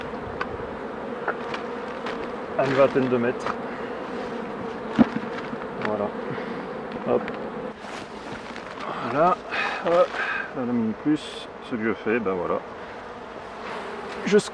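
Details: Honey bees at hives being worked by a beekeeper: a steady, even droning hum runs through the whole stretch, broken by intermittent spoken words and handling noises.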